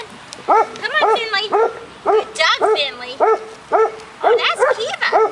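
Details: Six-week-old golden retriever puppies from a May 2013 litter play outside on agility equipment, giving high, yappy barks roughly twice a second, with thin squeaky whines between them and a person's voice nearby.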